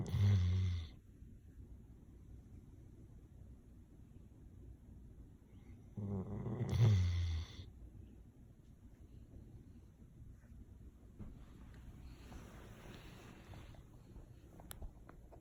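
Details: A male Golden Retriever snores in deep, rumbling breaths while sleeping, two loud snores spaced about six seconds apart.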